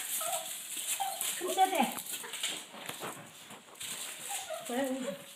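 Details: A Yorkshire Terrier gives eager, short, high, quavering whines and yelps that slide up and down in pitch, voicing gladness as grandma arrives with meatballs for her. A person's voice and faint background noise are heard.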